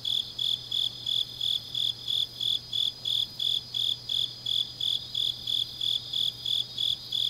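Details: Night insects in autumn grass at Changnyeong, South Korea, chirping in quick high pulses a little over three per second, with a thinner steady trill from other insects above.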